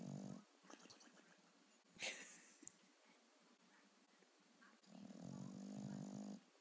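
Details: Sleeping bulldog on a couch giving comical snores: a short rasping snore at the start and a longer, buzzing one near the end, separated by a quiet stretch with small rustles and a brief sharp noise.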